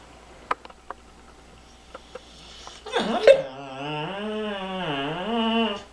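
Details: Indoors, a Bullmastiff pup moans while a cat sits on his toy that he is afraid to take away. Soft taps come first, then a warbling, rising-and-falling groan that runs almost three seconds to the end.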